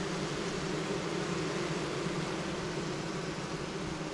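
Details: In spring, a dense mass of honey bees packed into a queenless five-frame cell-builder box gives a steady, low droning hum that holds evenly. The bees were feisty on opening, then were calming and growing quieter.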